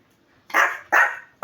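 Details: Maltese dog barking during playtime: three sharp, loud barks in quick succession, each about half a second apart, with a near-silent background.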